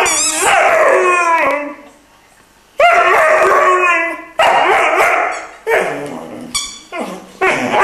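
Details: Irish Wolfhound puppy, three months old, 'singing' in drawn-out, wavering, harmonic howls. The howls come in separate phrases split by short silences, with the pitch sliding and wobbling within each one.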